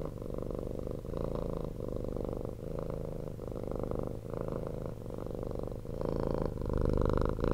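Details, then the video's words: Rescued former street cat purring loudly indoors at close range; continuous deep rumbling purr, alternating breath phases roughly every half second to second, growing slightly louder toward the end. "CAT PURRING"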